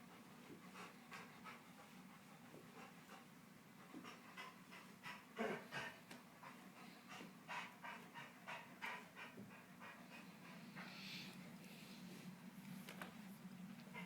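A dog pants in quick, breathy bursts, about three per second, over a steady low hum.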